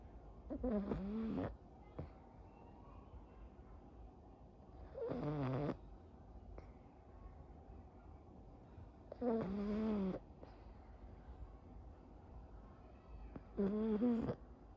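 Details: Sleeping pug Anko snores in four regular bursts, about one every four seconds, each a harsh nasal rasp with a wavering whine, quiet breathing between; a soft murmur follows.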